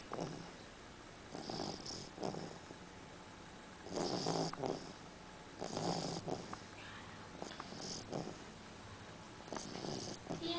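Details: A beagle snoring while asleep: soft, breathy snorts come roughly every one to two seconds, some louder and longer than others, over a faint steady hum.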